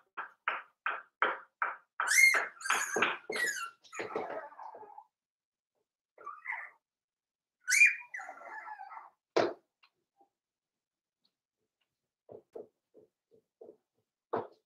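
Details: Nearly weaned Cavalier King Charles Spaniel puppies, five weeks old, in Daisy's indoor pen. A rapid string of short yips climbs into shrill, piercing squeals. After a lull, one more squeal is followed by scattered soft whimpers and a few faint yips.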